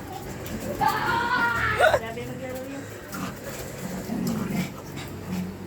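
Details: Shih Tzu puppy giving one drawn-out, wavering high whine lasting about a second, then quieter low murmurs and faint whimpers with some background rustle.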